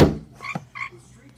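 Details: A frog sitting on a window, croaking in reply to knocks on the glass: one hard knock, then two short nasal croaks in quick succession, with a soft room hum underneath.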